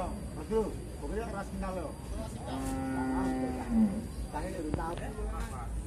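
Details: Jumbo Pegon cattle at a livestock weighing give one long, steady, low moo lasting over a second, framed by short bursts of nearby human speech and a faint background hum.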